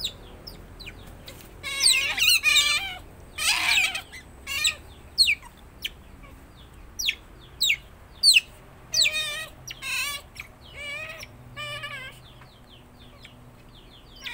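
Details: Pet otter seen up close, its voice described as shrill: scattered sharp chirps and downward-sweeping squeaks, with a loud burst of harsh squealing near the start, then short high chirps every second or so over a quiet background.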